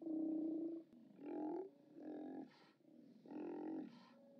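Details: Steller sea lions at a haulout on 29 October 2017, via live cam: a loud drawn-out roar followed by softer, grunting roars spaced about a second apart, some nearer and some farther away.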